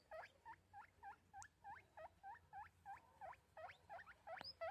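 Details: A guinea pig gives a rapid series of shrill, squeaky wheeks, about three every second.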